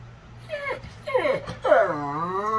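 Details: A very large pet dog that does not bark but whines; a series of sliding, crying whines, the last a long wavering tone that settles steady, while a person teases it as a crybaby.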